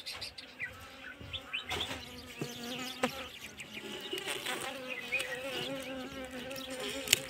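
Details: Kashmiri Asian honey bees (Apis cerana) during winter feeding: a steady droning buzz whose pitch wavers and shifts slightly, broken by sharp knocks and clicks scattered throughout.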